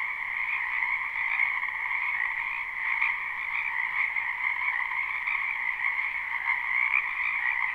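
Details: Live night-style recording of numerous frogs in a spring wetland: constant, dense croaking chorus of overlapping trills at a middle and higher pitch, loudness gently pulsing, nothing else audible.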